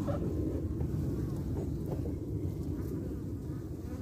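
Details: Carniolan honey bees at their hive entrance, defending it as a wasp returns: a dense, deep buzzing drone that stays fairly even throughout.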